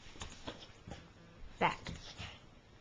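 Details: Chihuahua named Matilda, an excited and anxious pet doing tricks indoors, gives one short, sharp harmonic bark amid soft footsteps and a person's quiet commands.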